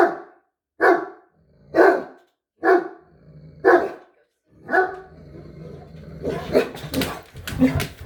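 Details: Two Great Danes turning on the person filming: five loud, sharp barks spaced about a second apart, followed by rougher overlapping grumbling and huffing sounds with a few clicks and knocks.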